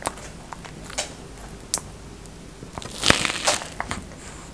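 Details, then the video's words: A few scattered crunches from a feeding tortoise, then a louder cluster of crackling bites near the end, over a quiet indoor background. "ASMR TORTOISE l EATING SOUNDS"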